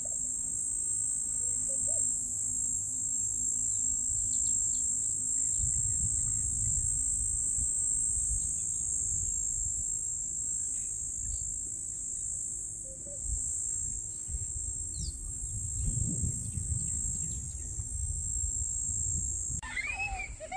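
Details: Summer cicadas at a Big 5 game farm in Dinokeng, recorded on 2025-10-06: a sustained, very high thin buzzing drone runs throughout, with faint scattered chirps and low rumbling noise beneath.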